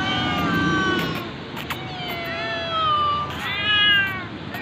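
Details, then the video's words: Hungry domestic cat meowing while being given food: several drawn-out, tonal meows, some rising then falling, with sharp clicks and clatter between calls. "any hangry cat givng food"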